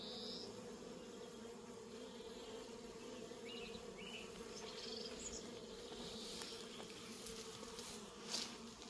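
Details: Bees droning steadily around a cat in an orchard in New Zealand, an even low hum with faint overtones, and only scattered distant bird chirps breaking in.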